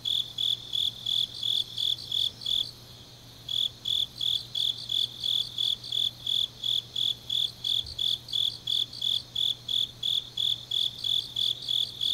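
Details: Grass insects on an autumn night in Changnyeong, Korea, chirping in a quick regular high pulse that pauses for about a second near the start, then resumes; softer overlapping chirps above and a low hum throughout.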